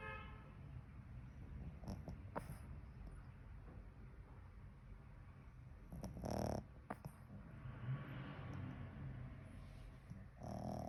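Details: Sleeping Pekingese dog snoring: low rough rumbles throughout, with a louder snore burst around six and a half seconds and another near the end.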